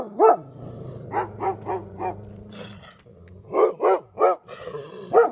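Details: Two Golden Retrievers barking at a porcupine, giving loud short barks in uneven bursts, single and in quick triplets, over a low steady rumble in the background.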